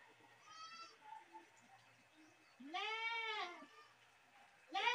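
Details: Goat giving a drawn-out, quavering, nasal scream of about a second, preceded by faint distant bleats and followed by the sharp start of another loud cry.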